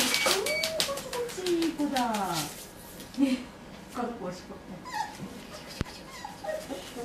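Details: A long, thin whimper slides slowly downward from one of the medium poodle pups, uneasy in a new place on 22 October 2013; short yips follow while a woman talks quietly in Japanese indoors.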